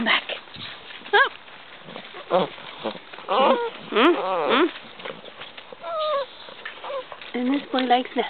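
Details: Basset Hound puppies, curious and excited by a visitor, give high, wavering whimpers and short yelps in bursts, with one louder arched whine run in the middle, while a woman talks to them throughout.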